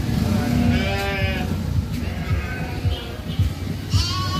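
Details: Sheep in Solukhumbu, Nepal, moving down to lower land as winter begins; a few wavering, nasal bleats rise over a loud, steady rumble with regular low knocks, like hooves or movement, about twice a second.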